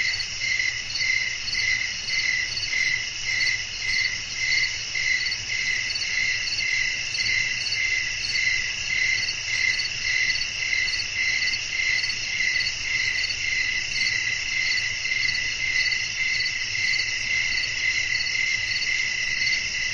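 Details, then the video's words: Night ambience of crickets with blowing wind: a continuous dense high-pitched trill that pulses almost twice each second without pause, backed by a soft low hum. "บรรยากาศธรรมชาติยามค่ำคืน เสียงลมพัด จิ้งหรีดร้อง"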